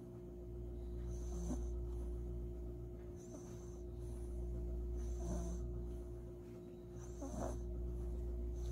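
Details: Maltese dog snoring while asleep in its owner's arms after a warm bath and blow-dry; soft breathy snores roughly every two seconds, each with a faint low rumble, over a steady low background hum.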